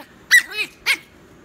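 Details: Teeny tiny Chihuahua puppy, reacting to being told it is time to go to bed, lets out two short, high, squeaky yelps about half a second apart, with a softer, lower whining moan between them.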